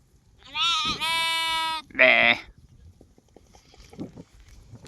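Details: Baby sheep (lamb) bleating: a long, quavering, nasal baa lasting over a second, then a shorter, harsher baa right after, followed by quiet clicks and light rustling.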